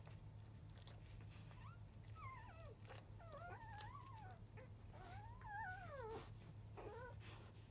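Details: Three black field-type Labrador Retriever puppies, five days old, nursing at 11:30 in the morning; the mother is biscuit, 2017 JFA grand champion. High, wavering whimpers and squeals rise and fall in quick repeated bursts over a steady low hum.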